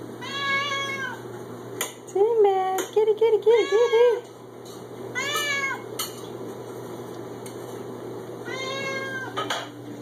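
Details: A six-year-old male Siamese cat meows insistently indoors while wanting food: loud harmonic meows, a rapid burst of short wavering cries, then more meows. A person talks to him, and a dish clinks faintly.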